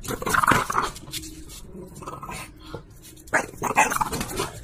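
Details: A female French Bulldog that likes being teased and having things snatched from her gives rough, throaty grumbles and growls while playfully tugging over a toy.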